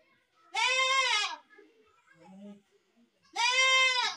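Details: Baby goat bleating: two loud, harmonic-rich, wavering bleats about three seconds apart, each under a second long, with faint low murmurs between them.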